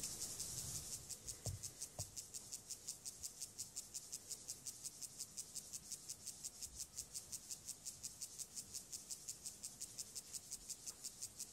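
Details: Male Siberian grasshopper (club-horned grasshopper) performing courtship song toward a female before mating, with antenna rotation; fast, regular rasping high-pitched pulses repeated about twice per second, with a few faint low knocks early on.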